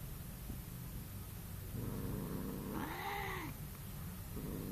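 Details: A cat's low moan rises into an arching, nasal yowl of nearly two seconds, swelling then dropping away, with a faint low hum behind.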